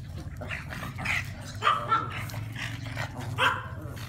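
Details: Barks and yips from a dog among Brussels Griffon, French Bulldog and pug: four quick, fairly high, short calls in about four seconds over a constant low-pitched hum.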